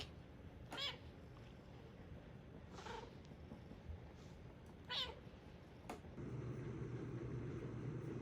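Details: Indoors in a woodworking workshop where a young stray kitten has joined the resident tabby Korean shorthair, a series of four thin, high meows comes about every one to two seconds, then a low steady hum begins.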